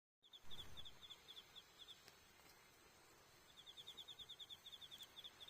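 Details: Autumn insects calling on the night of October 20 at Iyo-no-kuni campsite beside a campfire: high, thin trills pulsed in quick bursts, a pause, then a longer run of rapid pulses, with low crackling and rumble underneath.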